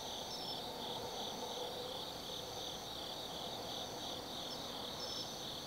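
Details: Night chorus of autumn insects in the forest at Tsukimi no Mori, Kaizu, Gifu Prefecture, Japan: continuous shrill, high trilling bands with gentle rhythmic pulsing and a thin whistle-like upper strand that comes and goes, over soft low background noise.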